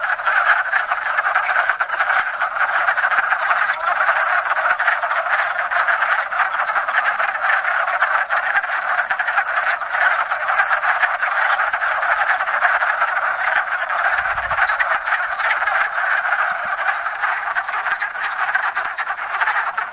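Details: Wood frogs (Lithobates sylvaticus), the first frogs to chorus each spring, crowd a little pond in Enosburgh to breed; unbroken mass of hoarse, chuckling croaks throughout, a short low rumble midway.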